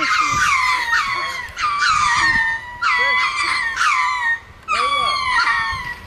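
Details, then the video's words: Several ring-tailed lemurs up in a tree calling after another lemur attacked them in a turf war: loud, harmonic wailing cries that slide and waver, overlapping in long bursts separated by short pauses. "Lemurs that think they are Fireworks"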